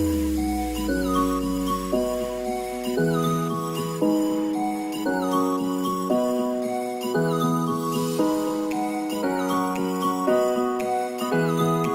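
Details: A gentle chiming melody of bell-like mallet notes plays in repeated phrases over a soft low tone, with no animal sound.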